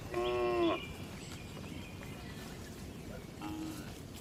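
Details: Calm cattle in a farm barn give one short, clear moo at the start and a fainter, more distant moo near the end, with steady background hum in between.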